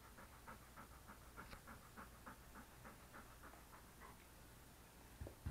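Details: Pet male English Cream Golden Retriever being petted beside a desk indoors, recorded on a SJCam SJ4000 action camera; quick rhythmic huffing pants, roughly four per second, with a few low thumps near the end.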